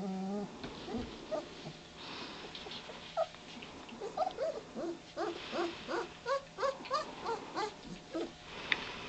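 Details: German Shepherd puppies of a litter, nearly three weeks old, waking up at 4:30 am and beginning to play; a run of short, high, squeaky whimpers and yelps about three per second, overlapping in a chorus, with faint rustling between.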